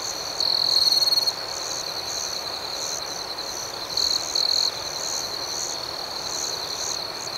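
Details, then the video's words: Crickets at night: a steady high chorus hums throughout, while a nearer cricket gives two loud, rapid pulsed trills, one lasting about a second near the start and a shorter one later. "Soothing Cricket Sounds"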